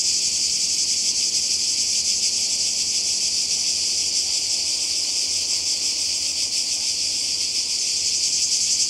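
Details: Continuous high, hissing drone of cicadas by the sea in Croatia, summer 2020; the chorus stays level and steady from start to finish with a quick shimmering pulse.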